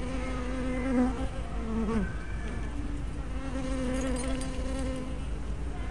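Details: Close wingbeat buzz of honey bees at their hive entrance, recorded by a fisheye spy camera; a steady tone with a dip as one bee swerves near the lens, then a second even buzz over the hum.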